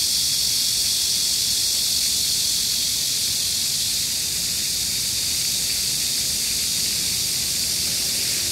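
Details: Cicadas singing on a hot, humid midsummer day, 14 July 2022, in Gayang-dong Culture Park, Gangseo-gu, Seoul, South Korea: a steady, dense high-pitched hiss with no breaks, beside a cool fountain.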